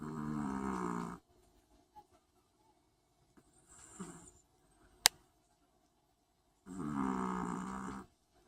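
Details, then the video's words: Long-haired Chihuahua snoring: two rough, rasping breaths of about a second each, separated by a long quiet pause with one sharp click between them. "코골이 치와와"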